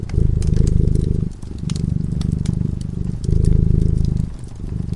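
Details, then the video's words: Sleeping cat by a cozy fireside, giving a deep continuous purr that swells and eases in roughly two-second breaths, while the flames crackle and snap lightly in the background. "Purring cat"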